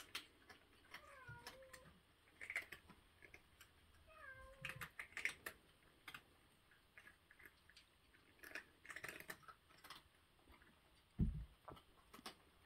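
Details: Cat at breakfast: sharp, scattered crunching clicks of food being chewed, with several short, downward-curving mews near the start and middle, and a low thump toward the end.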